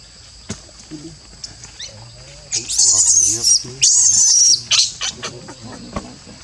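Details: Baby Barbary macaque at Monkey Forest crying: two loud, harsh, noisy screeching bursts of under a second each in the middle, with softer scattered calls and a steady high insect-like hum throughout.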